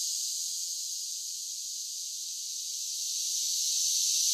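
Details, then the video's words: Softer summer cicada buzz, a thin, steady high-pitched hiss that dips a little in the middle and grows louder toward the close. "10 Hours of Cicada Sounds for Relaxation with Soothing Summer Nature Sounds"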